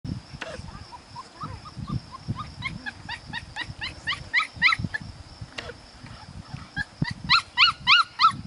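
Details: Five-week-old puppies from a Priscilla and Max litter, outdoors: rapid series of high yelps and squeals, sometimes several at once, repeating about three times a second, with a steady high electrical whine and low rumbling noise underneath.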